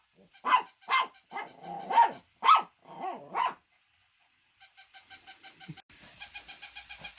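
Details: Shih Tzu dog barking, a quick run of sharp, loud barks in the first half, then a quieter stretch of rapid, evenly pulsed higher sounds.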